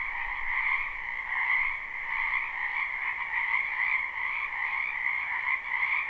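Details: A wetland full of frogs in springtime, captured live: steady, high-pitched trilled croaking from many callers at once, rising and falling slightly in waves but never pausing.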